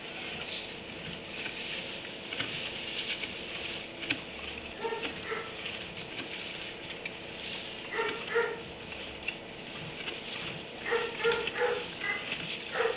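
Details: Dog barking from a kennel in a barn at 3am: short, somewhat muffled barks come in small clusters around five, eight and eleven to thirteen seconds, over a constant pattering hiss with scattered ticks.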